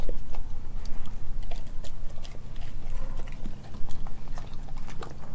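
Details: Nala, a Kelpie German Shepherd mix, chews raw meats including chicken thigh and a homemade raw chicken nugget. Moist, slurping mastication with scattered crisp snaps of teeth on bone, fast and uneven.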